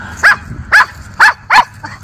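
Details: Miniature Schnauzer brothers in their leaf-strewn yard on October 13, 2024, in Aroostook County, Maine, barking at the neighbours: four sharp, evenly spaced barks about half a second apart, then a softer fifth, over a quiet background.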